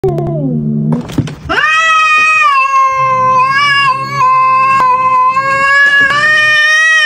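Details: Angry cat, slapping: a short low growl, a brief scuffle, then a long, drawn-out, wavering yowl that holds a steady pitch and swells and dips for several seconds.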